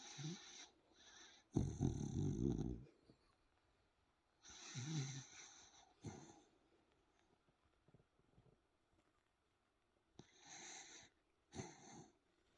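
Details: Sleeping Dachshund snoring indoors: loud rough snorts with breathy hiss, in irregular bursts a few seconds apart separated by quiet pauses.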